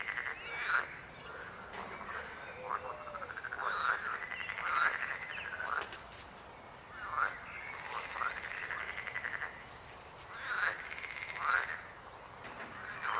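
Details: Frogs croaking in overlapping bursts of rapid, pulsed, mid-pitched rattles that rise and fall, with louder choruses at about one, four to five, seven and eleven seconds and quieter pauses between.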